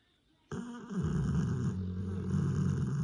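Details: Grey Cane Corso asleep, Taira or Tessa, giving a continuous rough snore that starts abruptly and rattles on with a low, fluttering buzz for over two seconds.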